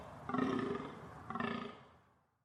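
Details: Deer uttering two hoarse, droning bellows about a second apart, the second fading away slowly.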